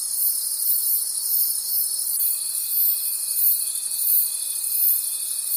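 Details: A night chorus of crickets in forest, high and shimmering with a regular throb about three times per second; partway through, a steady thin whine begins and continues to the end.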